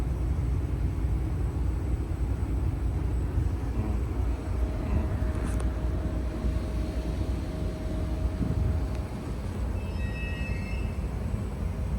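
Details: Heavy low traffic or engine rumble outdoors in an urban setting, with a brief faint high tone near the end.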